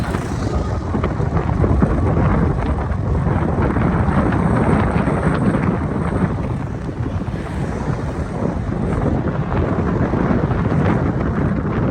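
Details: Steady loud wind and rain noise roars throughout, with no animal call present.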